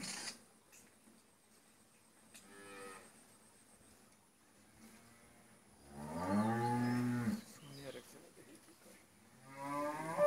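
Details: First-calving Friesian dairy cow, four teeth, with a heifer calf at a farm in Pabna, Bangladesh, gives a brief low lowing, then a strong drawn-out harmonic moo, and begins another at the close over quiet indoor hum.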